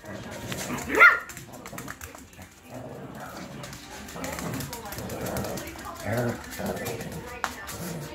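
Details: Two Shih Tzu dogs at play, a three-month-old puppy and one about ten years old; a single sharp, high yelp rings out early on, followed by quieter scuffling, soft thumps and people talking in a room.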